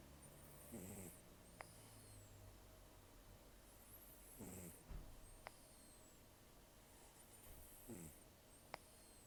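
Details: Taro, a rescued cat aged about 10 to 14, taken in October 2024 and missing most teeth after periodontal disease and a long outdoor life, snores while asleep: rough, throaty inhale-and-exhale bursts roughly every three and a half seconds, with hissing nasal breath between.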